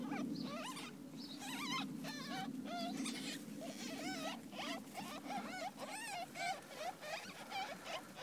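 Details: Two-week-old ferret kits with their mother, giving a rapid run of wavering, squeaky whines that bend up and down, several overlapping, over a steady low hum.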